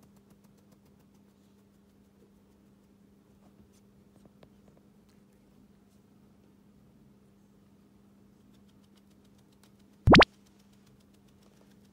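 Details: Near silence in a small room with a low hum, scattered faint taps and one sharp loud click about ten seconds in; no animal sound is heard.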